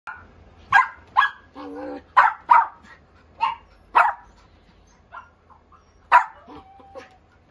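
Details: Toy Poodle barking indoors: a run of sharp, high yapping barks, about eight in seven seconds, with a brief whine between them and quiet gaps.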